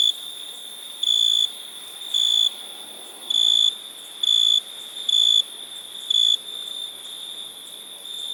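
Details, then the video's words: Shrill, pure cricket chirps, short high-pitched bursts coming roughly once a second with occasional longer pauses, over a soft continuous insect hum. "Cricket sound"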